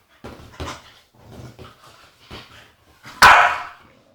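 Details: An agitated female Staffordshire Bull Terrier indoors gives a run of short grumbling whines and yips, building to one loud, sharp bark near the end.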